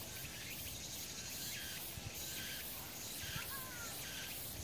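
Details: Cicadas in a summer mountain chorus in mid-August make a continuous high buzzing hiss that swells slightly now and then; short whistled bird notes break through faintly over a low background rumble.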